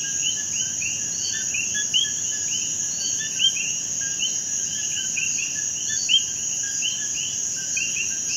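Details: Puerto Rican common coquís calling together, a busy stream of brief chirps and upward-sliding whistles from many frogs, over a constant high-pitched insect buzz.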